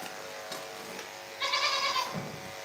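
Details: Farm goat bleating in the morning: after near-quiet rustling, one strong, rich, nasal bleat of about half a second with a slight quaver, then low thumps, over a constant machine-like drone.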